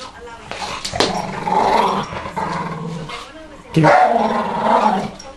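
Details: Male Staffordshire bull terrier refusing to give up his ball, play growling at a person's finger: two loud throaty growl bouts, the second swelling after a quiet pause, with light handling noise.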